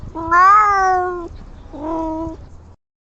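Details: A kitten making a strange, adorable noise: one long, steady, harmonic meow lasting about a second, then a shorter, softer second meow after a brief pause, in a quiet indoor setting.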